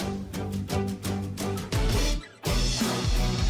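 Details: Loud rhythmic music with strong bass and guitar fills the whole stretch, with no animal voice anywhere.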